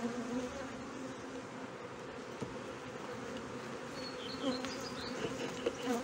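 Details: Honey bee hive in Brno, 2022, with an inserted queen cell found bitten open; sustained low buzzing drone throughout, a few faint clicks, and short high chirps from a small bird toward the end.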